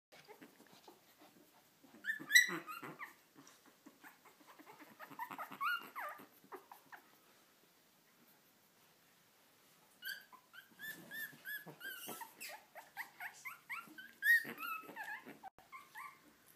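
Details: Three-week-old Lhasa Apso puppies, their eyes newly open, whimper and squeak in thin, high, broken cries with short pauses.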